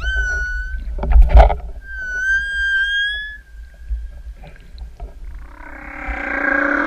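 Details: Humpback whale song heard while swimming with three whales off Tahiti Iti on 28 September: long, clear, slightly rising tonal moans from a singer in open ocean directly below, over low underwater rumble.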